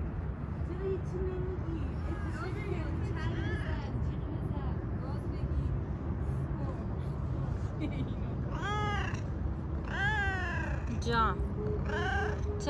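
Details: Stray cat on the street being petted, with a run of clear, drawn-out meows bending up and down near the end, after a quieter stretch of soft speech over constant low background rumble.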